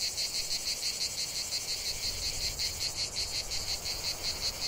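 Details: Cicada song from a lavender field, a loud high-pitched buzz beating in rapid, even pulses, about three per second, with a constant shimmering chorus behind.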